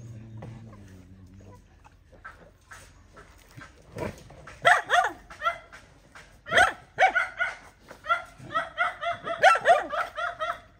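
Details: Mother dog fighting over her puppies: a low whine at first, then harsh barks that quicken into a continuous, rapid volley of yelps.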